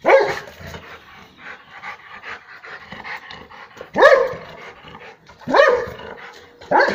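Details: A Rottweiler that has caught a grass snake in its home courtyard in the Po Valley gives loud, deep barks a second or two apart, with panting and rustling between.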